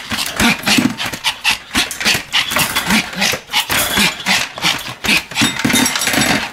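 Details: Pomeranian Sam, 26 May 2015, leaping and twirling as it barks without pause; a steady stream of shrill, rapid yaps, roughly three a second, with a low engine-like hum underneath.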